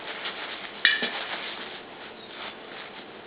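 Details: Kitchen clatter of dishes and cutlery with a sizzling hiss and one brief bright beep-like clink, and no animal voice.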